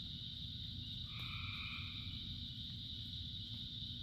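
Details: Frogs calling in the rain: one drawn-out, two-toned croak rises above a steady, shrill chorus, with rain hissing and pattering throughout.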